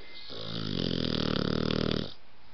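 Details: Sleeping blue nose American Pit Bull Terrier puppy giving one drawn-out, rattling snore of about two seconds, steady and low with a buzzy vibrating texture.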